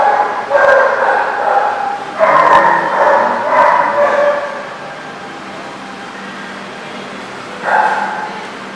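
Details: Dogs at The Barking Lot, 8/1/14: several sharp barks and yips in bursts, a cluster near two to four seconds and another near the end, over a steady background din.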